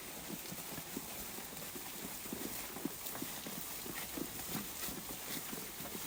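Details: A flock of sheep grazing, with a steady run of crisp tearing and crunching as grass is pulled and chewed, in irregular overlapping bursts; no bleats break through the dense crunching.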